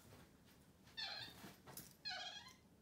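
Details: Freshly bathed pet capuchin monkey on a bed at breakfast time, indoors: two drawn-out high squeaks with rich overtones, one second apart, over faint room noise and rustling.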